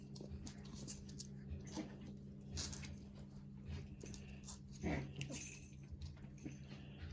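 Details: Havanese puppies in a litter making soft, scattered whimpers, including one drawn-out whine that slides downward, amid rustling, light shuffling and a constant low background hum.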